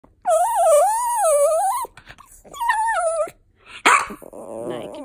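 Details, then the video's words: Pomeranian dog "talking": a long wavering, yodel-like whine over about a second and a half, then a second shorter warbling call, followed by a brief rough noise and faint further whining. "Talking dog melts your heart"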